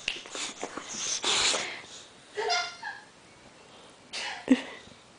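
An excited English Bulldog gives rough, breathy snorts and short whining squeals, with people talking nearby.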